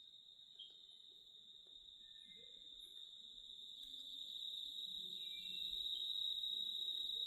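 A cicada gives a steady, high, unbroken buzzing drone that never pauses.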